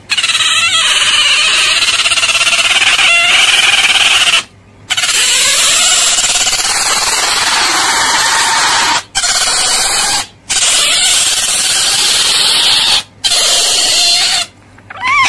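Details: Drawn-out, piercing otter squeals run almost without pause, rough and high-pitched, with brief gaps between the long screeching stretches.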